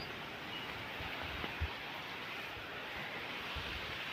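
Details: Steady outdoor broadband rumble, like wind or a passing vehicle, with no animal sound heard.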